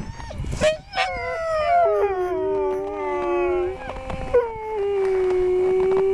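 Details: Several huskies at a sled-ride outfit in Schröcken am Hochtannberg howl together in long, wavering, harmonic-rich tones that slide gently downward, broken by a few short yelps near the start.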